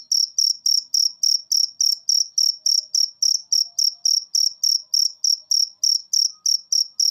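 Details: Cricket masteran for training cage birds to sing more: clean, high-pitched buzzy chirps repeated in a regular rhythm, about three each second, with no other sounds.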